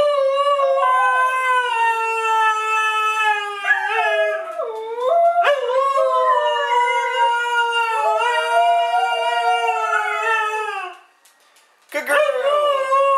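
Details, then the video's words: Siberian Husky singing on request to celebrate, giving a long run of wavering, yodel-like howls that rise, dip and bend in pitch, with a short pause near the end before another sliding howl begins. "Mishka the Talking Husky"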